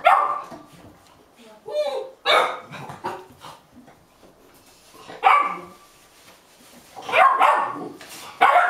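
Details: Golden Retriever puppies aged eight and a half weeks wait impatiently for their meal, hopping up and down, Haute-Savoie, France, January 2013. Loud, sharp barks burst out every few seconds, with softer whimpers and quiet room sounds between them.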